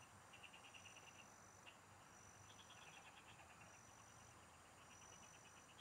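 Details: Frogs singing in the fields, recorded while fishing: short trains of rapid high pulsed clicks in bursts, with steady high insect-like tones running over a constant rural background hiss.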